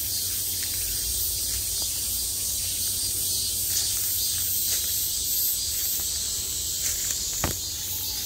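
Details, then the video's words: Cicadas at the height of summer, heard from all around as a bright, continuous, high hissing buzz with slight surges, plus a few soft clicks and knocks nearby. "매미소리를 들으며 휴식. Cicadas's buzzing sound"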